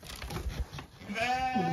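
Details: Restless Zwartbles hoggetts on a regenerative farm in County Kilkenny, Ireland, wait for their breakfast. A woman speaks softly, then one sheep gives a short, wavering, nasal bleat that drops in pitch at the end.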